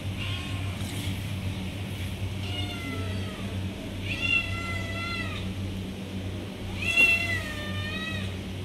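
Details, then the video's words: Kitten meowing as it asks for milk, approaching the person calling it: three clear, drawn-out meows at about 2.5, 4.2 and 6.9 seconds, each with a slightly rising then falling tone, over a steady low hum. "Baby Cat asking to Give Milk"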